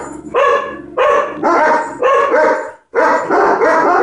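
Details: Agitated dog barking at ladybugs: rapid, forceful barks come in clusters of about two per second. One short silence falls before a final burst of barking.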